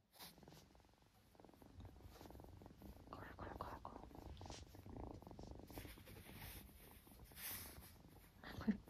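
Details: A Ragdoll kitten in Gold Coast, Australia, purrs with a low, steady rumble during paw-giving training with treats, with some soft speech in the background.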